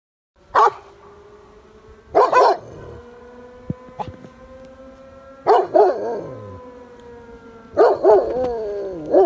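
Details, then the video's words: Gunner, a farm dog not usually given to howling, answers the village fire siren. Loud yelping bursts break out four times over a steady siren tone, with wavering howl-like notes trailing the later bursts. "Gunner finds his Howl!"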